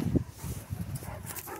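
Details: Central Asian Shepherd dog at play, giving short low rumbling grunts and growl-like pulses in quick succession, with a brief sharper note near the start; a person praises the dogs nearby.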